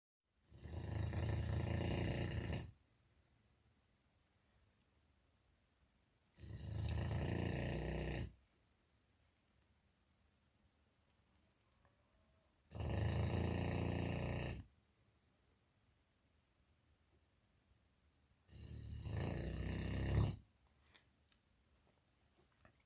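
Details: Enzo, a Boerboel dog kept at a farm in Egypt, snoring while asleep; four long, deep, rasping snores of about two seconds each, separated by quiet pauses of roughly four seconds.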